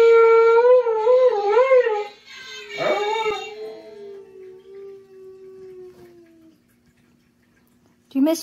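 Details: A female Siberian Husky howls along with a singing Rudolph toy, a wobbling, vibrato-like tone sliding into a long, steady, slowly falling wail. A sharp sound cuts in briefly at the very end.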